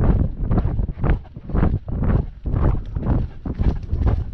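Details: Great Dane wearing a GoPro dogcam on a lockdown walk: steady rhythmic panting, about two breathy bursts per second, each a broad rough whoosh, with low rumbling wind and movement noise underneath.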